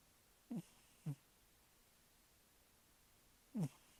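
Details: Sleeping cat snoring: three short, low, falling rumbles, two close together near the start and one after a longer pause, over a quiet background.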